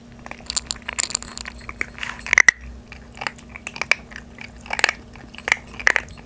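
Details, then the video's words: Maltese puppy siblings Obok (female) and Dabok (male), aged 3.5 months, chew dry kibble for the first time instead of soaked food. Close-miked crunching comes as clustered bright bites, about one or two each second, over a faint electrical hum. "새끼강아지 사료 ASMR :: 오독오독 오다남매먹방"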